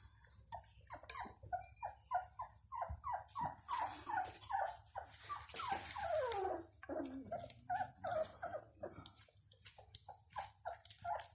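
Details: Several Bloodhound puppies, the Chien de Saint-Hubert, at Rue du Vieux Canal whine and yelp continuously, short descending whimpers repeated about twice a second with a louder, noisier scramble of cries around the middle.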